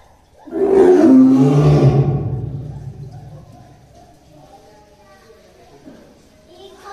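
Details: Caged tiger at Tobe Zoo in Tobu, Ehime Prefecture, Japan, filmed in early December 2023, growling while pacing: one loud, deep, rough growl swelling and fading over about two seconds, then quiet with faint voices.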